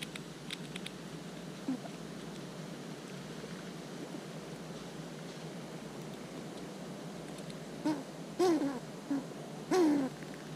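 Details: Close-up eastern gray squirrels eating, fighting and talking: long quiet stretch with light clicks, then a few brief falling whine-like calls near the end, each dropping in pitch.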